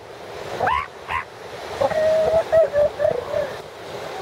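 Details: Mother northern elephant seal bonding with her brand-new pup at the Piedras Blancas Rookery, San Simeon, California, on 5 January 2013: two short rising-falling wails, then a string of nasal, wavering calls, with surf rumbling behind.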